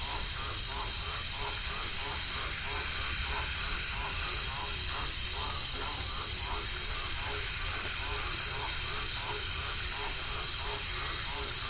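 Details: Croaking frogs by a river, many voices blending into a steady throbbing chorus of pulsed croaks, with evenly spaced high chirps, possibly insects, repeating about once a second above a continuous hiss.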